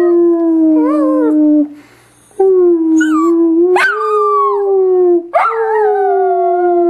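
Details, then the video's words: A Dachshund howls in long, steady, mournful tones that bend slightly downward, with a brief pause midway before two more sustained howls that start with a sharp upward swoop. "Dachshund howling"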